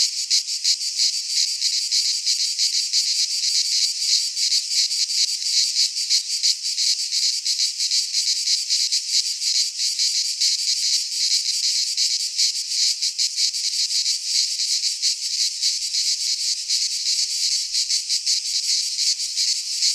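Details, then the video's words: Chorus of cicadas in a Greek pine forest at midsummer, an unbroken loud shrill hiss with rapid irregular pulsing throughout, steady in loudness; nothing else audible. "Cicadas singing in midsummer"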